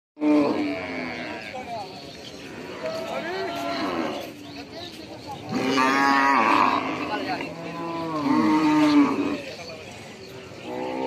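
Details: Cattle lowing in a series of drawn-out, harmonic moos at about 0, 3, 6 and 8.5 seconds, some rising then falling in pitch, with quieter overlapping calls between them.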